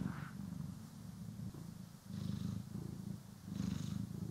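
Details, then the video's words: Pet cat being brushed and groomed, recorded in stereo: steady soft low purr rumbling throughout, gently swelling and fading with each breath, faint rustle in the background. "CAT ASMR | Purring, Grooming & Brushing"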